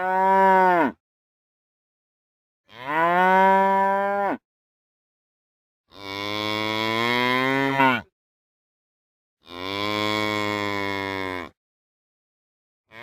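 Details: Real cows mooing in a series of four loud calls about every three seconds, each lasting one to two seconds, rich and harmonic with a slight downward bend at the end, silence between.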